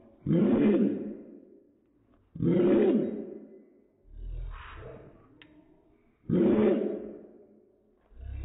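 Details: Slow-motion dog barks, four long, low, roar-like bursts spaced about two seconds apart, each swelling fast and fading slowly, with a low rumble beneath the third.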